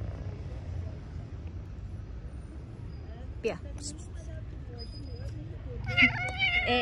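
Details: Stray street cat meowing while being petted among several cats crowding for attention; a short harmonic meow rises near the end over steady low traffic rumble and a person's voice calling to the cats.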